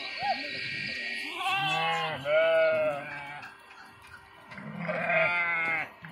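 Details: Sheep crossing a river by swimming, kids among them; drawn-out, shaky bleats, one long call in the middle and another near the end, over a steady low hum and background commotion.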